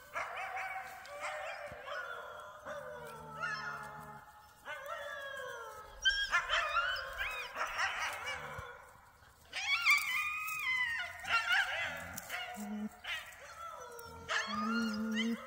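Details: Alaskan Malamute puppies vocalizing on a walk, March 21, 2024: repeated wavering, whining howl-like calls and yips in bursts of about one to two seconds, pitch bending up and down, with short pauses between.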